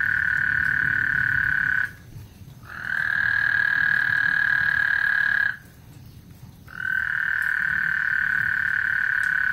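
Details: Ahead of a thunderstorm on Lake Houston, frogs produce repeated drawn-out trills at a constant pitch, each lasting about three seconds with roughly one-second pauses between, over a soft low rumble.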